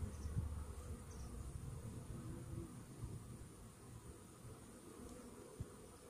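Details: Honey bees in a hive infested with Varroa destructor mites, recorded after a morning Varachet treatment: a steady, low, dense humming drone with a faint thin high tone running above it.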